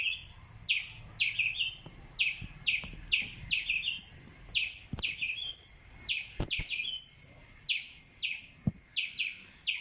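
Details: Squirrel giving a run of shrill, clipped chirps, several per second at first and then more spaced, with a few faint low knocks or taps underneath.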